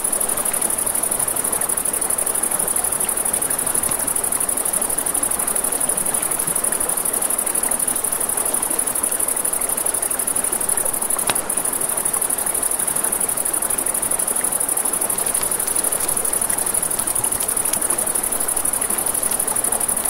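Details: Crickets at night along a river keep a long, even, high trill going for twenty seconds, joined by the steady rush of the stream and occasional sharp snaps from a campfire.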